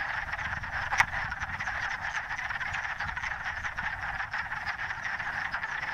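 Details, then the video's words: Many wood frogs returning to the same forest pool to find a mate, males outnumbering females: an unbroken wall of overlapping clucking croaks, with one sharp click near the first second. "year these frogs return to the same pool with the goal of finding a mate [Music] there"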